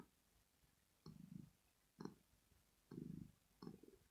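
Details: Rosetta, a female pet cat, purring while asleep, a sound of pleasure or relaxation: four low rumbling bursts about a second apart, each inhale-exhale cycle deep and throaty, with faint clicks at the start of the phrases in a quiet room.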